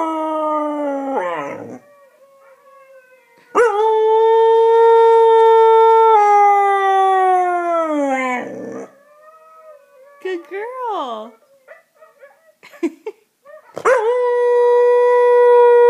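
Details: A year-old female Husky's first howls, set off by hearing other huskies howl: long sustained tones that sink at their ends, a short wavering yip-like warble, then a fresh howl rising at the close.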